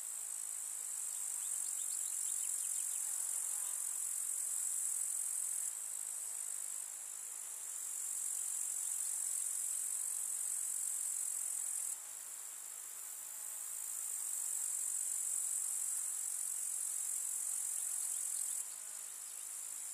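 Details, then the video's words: Many grasshoppers chirping in a village summer meadow with field flowers: a constant piercing high hiss that swells and fades in several stretches, with abrupt level changes between them. "КУЗНЕЧИКИ. Слушать звуки летнего луга"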